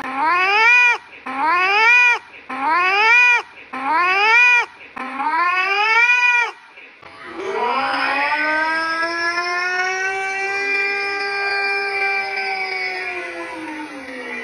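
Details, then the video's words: House cat repeating five short rising meows about once a second, then a single long, even, sustained yowl holding steady before slowly trailing off. "The sweetest singing cat"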